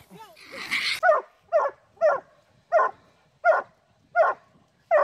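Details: Treeing Walker Coonhound pups being trained on a raccoon: a voice and a whine at first, then evenly spaced short barks, about seven, roughly one every two-thirds of a second.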